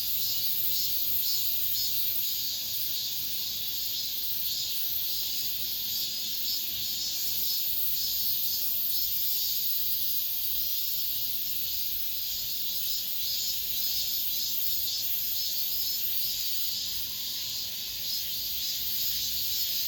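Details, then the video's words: High, sizzling cicada chorus in an apartment complex in late summer, unbroken and uniform, with faint gentle waves in loudness over a steady buzzing hiss. "올 여름 마지막 매미소리, 아파트 단지 내"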